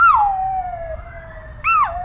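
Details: Miniature Australian Shepherd howling along with sirens on a nearby main highway; a long falling tonal wail overlaps a wavering siren, with a sharp rising-falling swoop near the end and the siren dominating.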